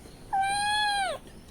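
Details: Cat crying out while waiting for milk; a single loud, drawn-out meow lasting about a second, steady in pitch then dipping at the end, with Tamil speech nearby.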